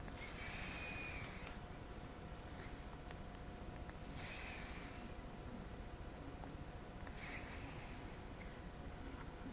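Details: Seven-year-old pet cat snoring while sleeping, deeply overrelaxed: soft breathy rasping bursts recur roughly every three seconds over a steady low hum of room noise.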